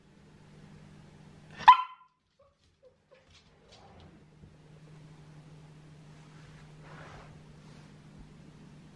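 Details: Seven-month-old female Shetland Sheepdog puppy, trained with a head collar to curb demand barking, gives one sharp isolated bark early on; the rest is quiet room tone with a low steady hum and faint rustles.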